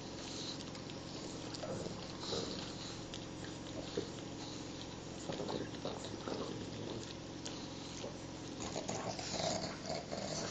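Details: Two pet pugs lick and groom each other during a long morning wash, with wet smacking licks, snuffling and short snorty breaths. A faint low growl rises through the steady indoor hum.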